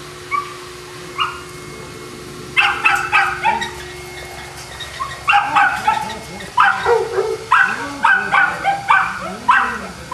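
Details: Boston Terrier dogs at Perrera Jamundí, Cali, Colombia: a few faint yaps open, then loud bursts of sharp barking follow in quick runs through the second half, with low murmuring sounds beneath.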